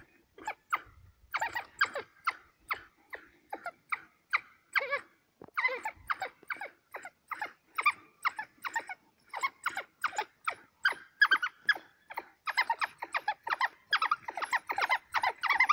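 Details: African wild dogs killing a kudu in Hwange National Park near Gwango: a rapid series of short, sharp chirping twitters, repeated several times a second with brief pauses, continuing steadily throughout.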